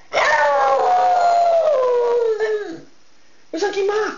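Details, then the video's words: Pet dog howling, said to be talking and singing: a long, bright howl that slides steadily down in pitch over about two and a half seconds, a brief gap, then a shorter howl that drops at its end. "Talking & Singing Dog"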